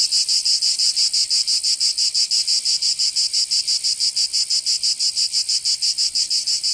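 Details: Several cicadas in the southern French region of Provence during summer, producing an intense high rasping drone pulsed at a fast, very even rhythm, with nothing else audible.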